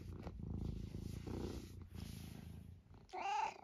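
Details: Senior male tabby cat from Great Britain, almost 12, vocal indoors on a windy day; steady low rumbling purr throughout, ending in a brief rising squeak-like meow.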